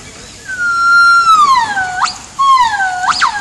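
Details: Yellow-cheeked gibbons singing around noon on 19 January 2016, with the young one already joining in a little. Two long whistled notes glide slowly downward, each ending in a sharp rising upsweep.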